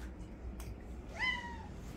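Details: Domestic cat at a cat shelter on an afternoon visit, 15 December 2023, giving a single rising then level meow in a quiet room with low background hum.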